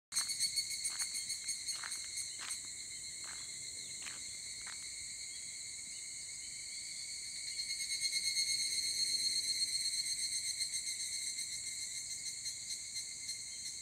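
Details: Higurashi cicadas calling at 4 am on a cool early morning during a walk: a high ringing chorus with bursts of rapid pulsed notes near the start, then a louder pulsing swell in the middle, over a steady background drone.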